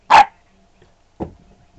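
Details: A 13-week-old puppy, an Australian Shepherd/Chow and Mini English Cream Dachshund mix, is told to speak. It gives two short, sharp barks about a second apart, the first louder, in a quiet indoor setting.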